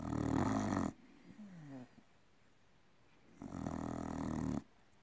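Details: Red-coated Staffordshire Bull Terrier snoring in long, rattling, buzzy breaths separated by quiet pauses.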